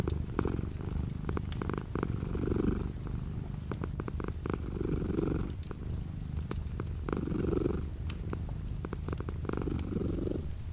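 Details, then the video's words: Domestic cat purring with light rain outside the window: a steady low rumble pulsing in slow breath cycles, swelling roughly every two to three seconds, with faint soft rain patter in the background. "The sound of a cat purring with light rain outside the window."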